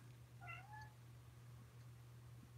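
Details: An indoor cat gives a single short, quiet meow about half a second long. The tone is clear and rises then levels off, over a steady low hum.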